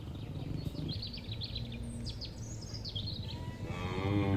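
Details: Cattle in a herd grazing on a green field and eating grass; a low, steady, droning moo runs under repeated high, thin bird chirps, with a louder, rougher bellow rising at the end.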